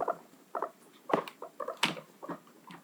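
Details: Pet guinea pigs rumbling in the background, one behaving differently and headbutting; soft rhythmic pulsing bursts repeating roughly twice a second, with low scratchy patter and indoor room noise.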